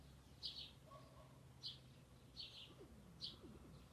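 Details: Young rabbits (Oryctolagus cuniculus) loudly eating dried sorrel: soft, crunchy chewing bites repeating every second or so.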